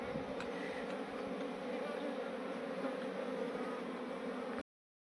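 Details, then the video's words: Continuous buzzing of a honey bee swarm after being shifted into a modern hive, an even, slightly wavering drone lasting over four seconds before abrupt silence. "हुल छुतेर गयको मौरी लाई आधुनिक घार मा कसरी सार्ने सजिलो तरिका"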